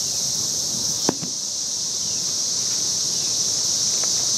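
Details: Very loud cicadas in Nashville, Tennessee, on May 23rd: a dense, unbroken high-pitched hissing drone holds steady from start to finish, with a brief sharp click near the first second.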